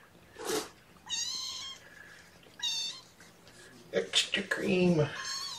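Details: Bottle-raised kittens at their first formula feeding of the day give repeated high, drawn-out meows, each about half a second long, then a rougher, squeaky cry. A voice and handling clatter can be heard.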